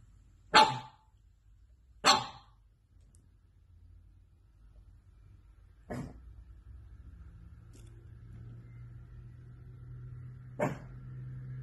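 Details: Pug dog barking indoors: four sharp, loud single barks spaced irregularly over about eleven seconds, with quiet room tone and a faint low hum between them.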